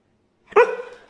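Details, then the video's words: A brown male Siberian Husky complains because he wants to go outside again: one sudden loud yowling note with rich harmonics that fades over half a second, with quiet room sound before it. "Brown Siberian Husky complaining because he wants to go outside again"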